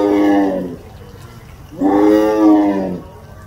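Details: Zoo tiger at Louisville letting out two deep, drawn-out roars, the second one longer and steady before fading.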